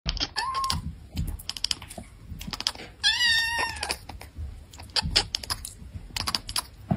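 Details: Domestic cat chattering and chirping: two short, bright, tonal chirps with rising then level pitch, set among scattered dry clicks and tapping sounds, with a quiet indoor background.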